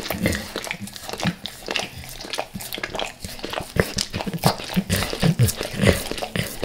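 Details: Dog named Max licking natural peanut butter and peanut butter oil before leaving El Paso: steady run of sticky licks and smacks, about two per second, with low chewing thuds, indoors.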